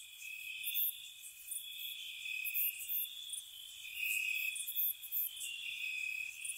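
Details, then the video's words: Spring night cricket chorus around a cottage, a continuous high ringing trill that wavers between two close pitches, punctuated by sharp very high chirps in short groups, about four per second at peaks, quiet otherwise. "Cricket Sounds"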